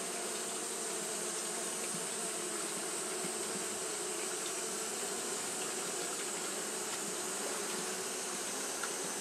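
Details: On a hot day Japanese honey bees fan nonstop, giving a constant layered buzz with low droning tones and a bright, even hiss; no pauses or other clear sounds.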